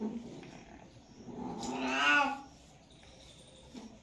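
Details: Cat in mating season giving a single harsh, swelling yowl that builds and fades over about a second, amid quiet background.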